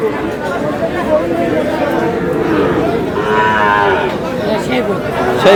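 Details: Sahiwal bull calf at a cattle market visited by a Sylhet farmer in Bangladesh, 11 July: one higher, strained bovine bawl midway through, set against a dense background of human chatter and talk.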